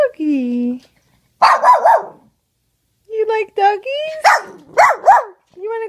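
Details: Pet dog Peanut, indoors, barking at videos of other puppies and dogs playing on a laptop. Short, sharp, high yapping barks come in two bursts of three or four, with a tonal whine or voice before them and a pause between.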